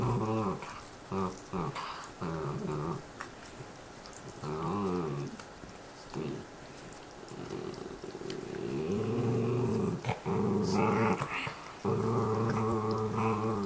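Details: Pet dogs chewing bones and growling at one another in a small room: repeated low rumbling growls in uneven bursts, swelling into longer, steadier growling in the second half.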